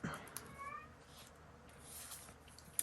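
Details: Male Siamese cat indoors, agitated and trying to break out through a door after a person leaves the room; a short, wavering, nasal meow early on, followed by door thumps and household noise.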